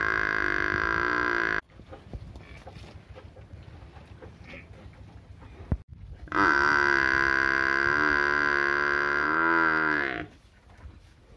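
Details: Two drawn-out moos from a village cow, the first short and the second about four seconds long and slightly wavering. Quiet rustling fills the gap between them.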